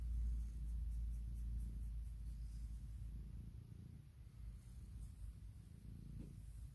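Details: Morning purring from Puk, a female cat asking for cuddles and kisses after waking her owner: a very loud, low, rapidly pulsing rumble, strongest at the start and steady to the end, with a soft rustle near the close.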